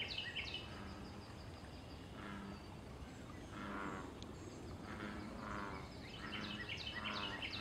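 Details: Wild American bullfrogs at a pond, calling for mating and territory: deep, resonant croaks come roughly every one and a half seconds. Bright chirping birdsong runs throughout, and a steady background hiss sits underneath.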